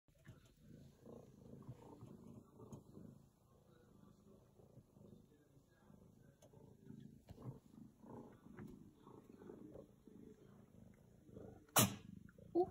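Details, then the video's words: Female domestic tiger cat staying on a treadmill and purring loudly; a soft, low rumbling purr that swells and fades in steady breathing pulses, ending with a sudden sharp sneeze-like burst. "Tiger Cat Staying On the Treadmill and Purring Loud"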